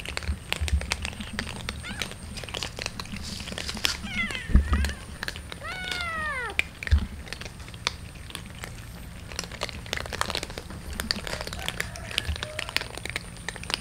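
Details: Street cats and a kitten being fed in the morning give a couple of short rising-falling meows amid constant clicking, rustling and low rumbling background noise.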